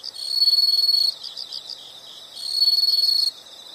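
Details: Insects calling outdoors: two bursts of loud, shrill, rapidly pulsed trilling about a second long, separated by a quieter stretch of softer chirps.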